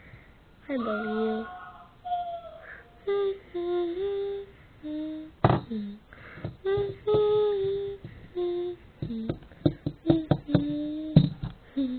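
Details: A person hums and softly sings a wandering tune in a small room, with a few clicks and taps, and no animal sound heard.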